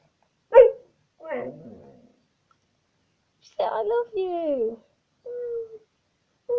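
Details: Indoor pet dog Tisha vocalizing: a sharp bark-like yelp, a rough grumble, then a long wavering moan that slides downward, followed by short level whines.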